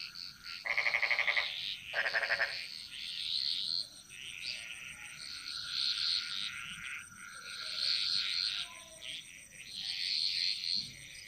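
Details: In a Bali jungle, two loud, rattling frog croaks open the recording, followed by a dense, higher-pitched chorus of chirping callers and a steady insect hum.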